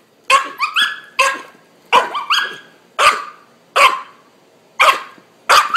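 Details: Excited three-month-old puppy at a swim session gives loud, high-pitched yips and barks, several in quick pairs, spaced roughly a second apart, eager over the ball and the water.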